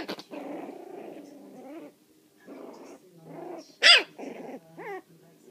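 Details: Puppies four weeks and four days old playing loose: low rumbling growls in bursts, a sharp high yelp near the middle, then short rising whines and growls.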